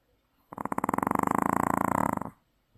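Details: Loud snore from a Maltese knocked out after the beach, nearly two seconds of coarse, evenly pulsing rattle, strong and steady before fading, in a quiet indoor setting.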